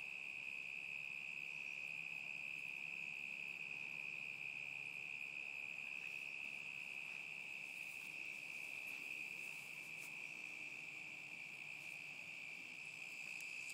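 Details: Unbroken high cricket trill recorded in summer 2010, constant in tone over nearly fourteen seconds, with a few faint clicks scattered through the second half.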